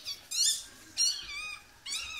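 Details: Newborn Yorkshire Terrier puppies just delivered as their Yorkie mother gives birth at a Michigan breeder; three thin, high, squealing cries, each about half a second long with short pauses between, the first and last the loudest.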